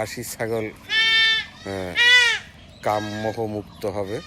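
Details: During castration of a young goat, two long, tense, high-pitched bleats rise over the surrounding chatter of men speaking.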